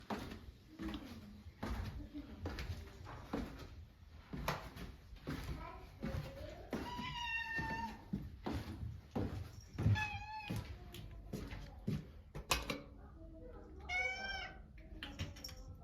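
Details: American Shorthair cat indoors, joyfully following its owner into the bedroom for a nap: several rising-and-falling, slightly wavering meows come among door thumps, footsteps and soft human voice.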